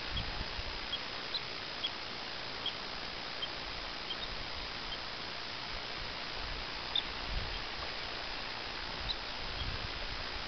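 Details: Woodchuck, also called rock chuck, chirping at people and dogs on a western Colorado evening: a run of thin, high, brief whistled chirps roughly every second, then a louder single chirp and another later, with faint low rumbles and hiss.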